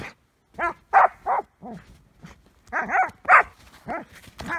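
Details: Border collie fixated on an ice chunk, a compulsive play behaviour normally seen with rocks, lets out tonal, harmonic barks and yips in two quick clusters of three to five.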